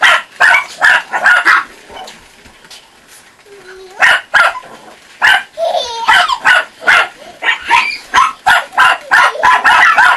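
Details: Chihuahua puppies from a kennel near Saint Petersburg, Russia, barking with a child present: sharp high yips in quick irregular bursts, with pauses and a woman speaking in between.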